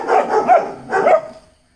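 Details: Fearless Dachshund acting tough with a little bravado, giving two quick, loud, hoarse barks about a second apart, the second trailing off into silence.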